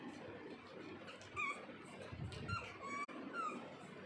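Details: Weird whimpering noises from a pug, brief high squeaky whines that slide downward, several in quick succession in the second half, set against a constant low rumbling hum.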